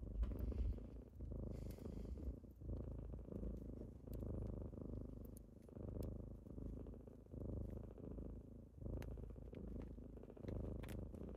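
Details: Kittens rumbling with a deep purr on a typical morning while waking their owner, the purr rising and falling in breath cycles roughly every one and a half seconds, with small clicks in the background.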